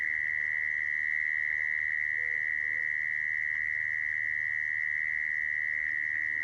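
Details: Mole cricket call used as a lure for trapping crickets: one steady, unbroken high trill holding a single pitch from start to finish, over a faint low hum.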